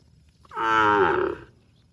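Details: A cow moos to call its extended family, one full harmonic bellow of about one second that starts with a rising onset, holds steady, then slightly dips before ending abruptly in near silence.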